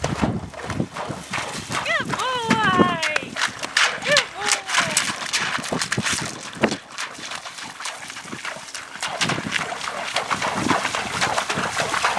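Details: Neighing horse on a cross country school at Gordonsdale featuring Sebastian, a five-year-old chestnut OTTB gelding; a loud quavering whinny descends in shaky steps early on, then a shorter call follows, with voices and hoof thuds throughout.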